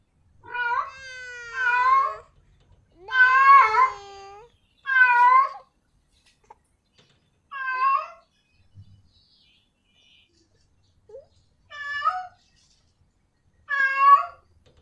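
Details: Female cat in heat calling a male; a series of drawn, wavering yowling meows, some longer and stronger early on, then shorter calls spaced a few seconds apart.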